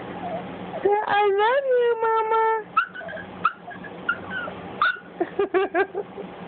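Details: Cj, a young Boston Terrier, vocalizes to its owner in a small room. A long rising-then-falling whine gives way to quick short yips, while a woman repeats loving phrases in the background.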